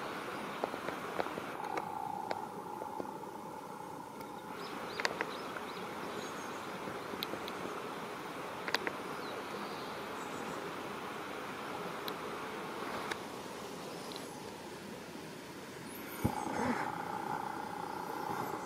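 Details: Female black leaf-cutter bee and a foraging black bumblebee worker clash over purple tufted vetch flowers by a roadside, the leaf-cutter chasing the bigger bee off; steady mid-pitched wing buzz comes twice, early and at the end, over outdoor background noise and clicks.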